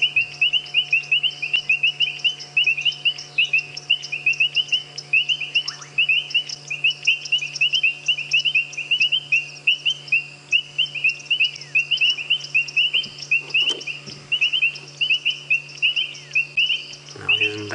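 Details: A chorus of painted reed frogs gives sharp, high, metallic chirps in quick overlapping succession at mud wallows by a road on a sunset safari drive, Djuma area, South Africa, 13 March 2017; bubbling kassinas add popping sounds.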